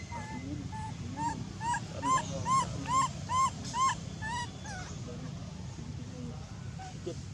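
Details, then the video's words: Loud crying from an abandoned monkey, a rapid run of arched, whistled wails repeated about every half second, rising then falling in pitch, fading into softer scattered cries over a low background rumble. "Million pity abandoned monkey was crying very loud with reason!"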